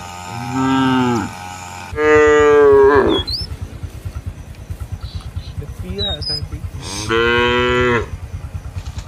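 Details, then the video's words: A cow in a village field lows to call its herd mates back to the barn. Three strong, sustained moos sound against a rapid low thumping like an idling engine, and a few faint bird chirps. "Suara sapi lembu berkeliaran di ladang memanggil kawan untuk pulang ke kandang - Bunyi Lembu di desa"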